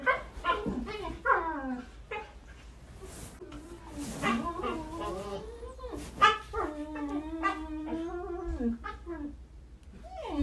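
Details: Hyperactive Siberian Huskies vocalizing: a long, busy sequence of yodelling, wavering howls and whines, some rising and others bending downward, overlapping at times, with scattered knocks and faint human voices in the background.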